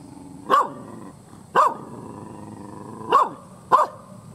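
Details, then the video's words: Fierce, angry village dog barking loudly: four sharp single barks spaced about one to one and a half seconds apart, each a brief harsh burst, over a steady low hum. "SUARA ANJING MENGGONGGONG"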